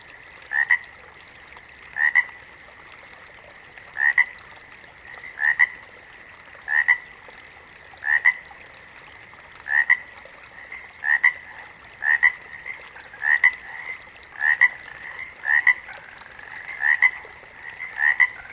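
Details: Frogs calling in a natural setting: a two-note croak, a short rising note followed by a sharper click-like note, repeated roughly every 1.3 seconds over a continuous background chorus of other frogs.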